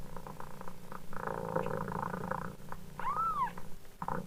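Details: Steady, throbbing purr of a mother cat fills most of the moment, then a single thin, arched kitten meow sounds near the end above the ongoing purr.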